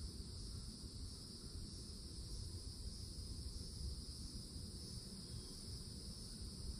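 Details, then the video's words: A constant shimmering hiss of loud cicadas in an old oak tree at the edge of a Florida forest in summer. It holds unbroken throughout, with deep wind-like rumble underneath. "CICADA SOUNDS"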